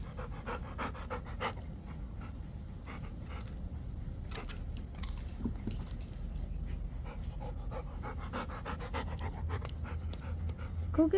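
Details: Rottweiler breathing in quick open-mouthed pants while playing catch with a ball, irregular bursts of short airy puffs, a brief sharp sound at the very end, low background rumble.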